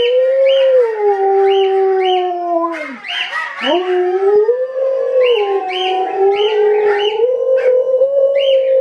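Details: Female Alaskan Malamute answering her relatives' voices played through a device: long, wavering, howling vocalisations that slide down and rise again, overlapping with a second howling voice, with higher yelping notes laid over the top throughout.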